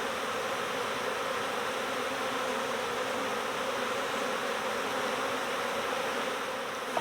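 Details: A honeybee swarm early in swarm season, heard as an unbroken, even buzzing hum of countless bees, level and dense across the whole moment, ending with a faint knock.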